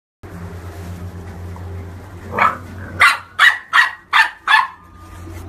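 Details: Corgi barking: after a quiet hum, a burst of six sharp, mid-pitched yaps in quick succession, about three per second, each short and clipped, over a steady low background drone.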